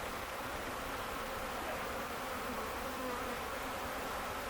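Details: Steady, even drone of a large honey bee swarm, recaptured by its own beekeepers at an Ontario farm on May 11, 2025, after moving into a box; no other sounds stand out.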